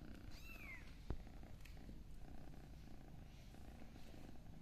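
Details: A kitten gives one short, high mew that rises and then falls, right at the start. A sharp click follows, over a low, steady rumble that lasts to the end.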